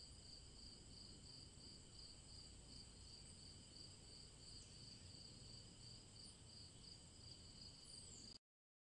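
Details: Chorus of cicadas in summer woods, a constant shrill whine in several overlapping high tones holding steady for about eight seconds before cutting off abruptly to silence, low background noise beneath.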